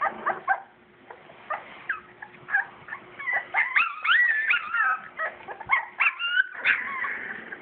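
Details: Purebred English springer spaniel puppies, born in July 2012, at play near their nursing mother; rapid high squeaky whimpers and yips tumble over each other, some rising and falling, with a faint steady hum beneath.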